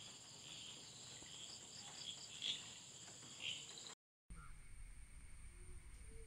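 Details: Crickets in a garden with butterflies and flowers give steady high chirping with a few louder chirps, then the scene cuts to quieter high hiss and low background noise.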